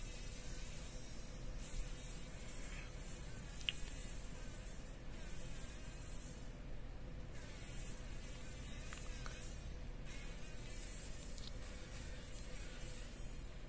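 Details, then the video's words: Fly trapped in a spider web in a workshop corner, morning, struggling to survive: a faint, wavering buzzy whine with stacked overtones rises and falls in bursts over a steady low rumble. "Überlebenskampf einer Fliege im Spinnennetz"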